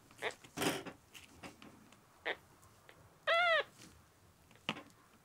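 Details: Ten-day-old rescued kitten Miel, red tabby and white male, dehydrated and unwilling to drink milk: after soft knocks and handling noises, a single short, clear, arched meow rises and falls, then a final tap.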